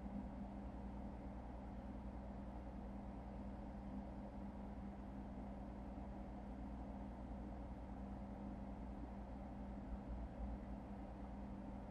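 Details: Steady low rumble of vehicle or engine noise with a constant hum, and no animal voices.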